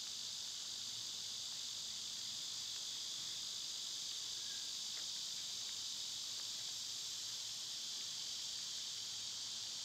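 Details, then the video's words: A continuous, piercing insect drone from cicadas in summer runs evenly throughout. One faint short whistle and some scattered ticks occur near the middle. "Birds & Squirrels w/ Cicada sounds"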